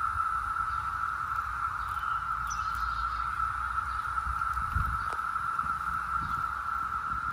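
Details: A 2021 brood emergence of 17-year cicadas in full force in Northern Virginia: a steady, unbroken, UFO-like droning whine at one even pitch throughout, with a soft low rumble of background noise beneath.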